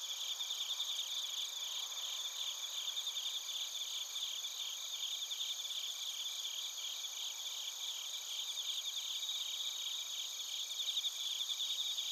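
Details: A dense chorus of bell crickets and other crickets in Narita, Chiba Prefecture, Japan, captured with a TASCAM Portacapture X8: layered high-pitched pulsed chirps and ringing trills blend into a continuous, even shimmer with no other sounds.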